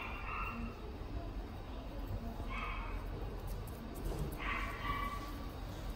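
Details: Standard Poodle kept at the Inu no Ie pet shop in Fuji, producing three fainter high-pitched yelping barks roughly two seconds apart, partly buried in steady shop background noise.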